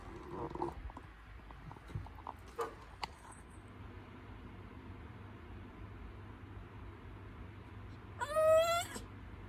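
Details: Cat in labour during contractions before birth lets out one loud, drawn-out wavering meow rich in harmonics near the end, after several seconds of faint rustles and low room hum.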